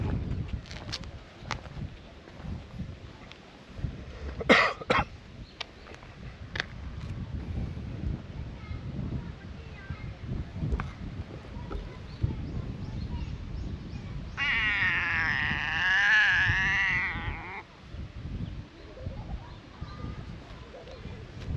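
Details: By scenic water, a brown tabby and white cat 'talks' about the heat and wanting a swim: a loud, drawn-out meow of about three seconds late in the clip, after low outdoor noise and a few sharp knocks.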